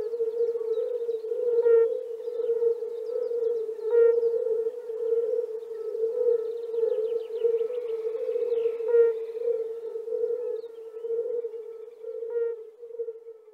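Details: A spring frog chorus in the Czech Republic forms an unbroken, siren-like hum, overlaid by repeated brighter croaks at irregular intervals of one to three seconds.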